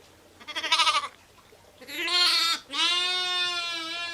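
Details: Bleating of sheep, ewes and lambs together: a short trembling bleat, then two longer harmonic cries, the last one steady and drawn out to the end.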